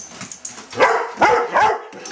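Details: Pet Doberman Pinscher sounding off as a home alarm when asked "What's that?": three sharp, resonant barks about half a second apart after a quiet, scuffling start, with faint high tones in the background.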